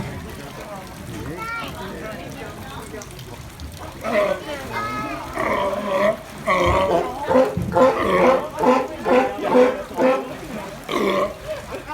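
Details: Sea lion giving rough, harmonic barks and grunts that build from quieter sounds into a choppy run of calls, with human voices and splashing mixed in.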